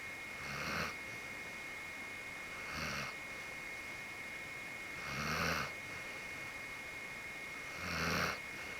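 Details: White Akita dog Genki, deeply asleep and limp, snores in four rough, breathy snorts about every two and a half seconds, with a steady faint high whine throughout.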